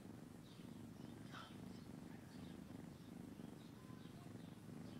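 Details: A domestic cat purring: a steady low rumble throbbing in quick regular pulses for the whole stretch, with faint higher rustles and soft background noise above it.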